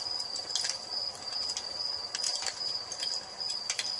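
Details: Evening crickets near a hearth fire, their continuous high-pitched ringing trill holding steady under scattered snaps and pops from the flames.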